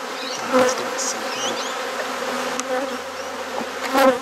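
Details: Honey bees at a hive during an inspection and frame swap in a garden in Perth, Australia: a steady, low droning hum with a faint higher overtone. Sharp knocks at the start and end, and thin bird-like chirps high above.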